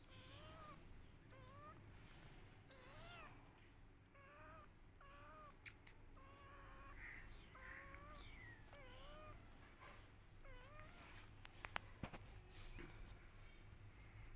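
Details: Kittens crying and meowing loudly while searching for their mother; a steady run of short, rising-then-falling meows, roughly one every second, over a low rumbling background hum.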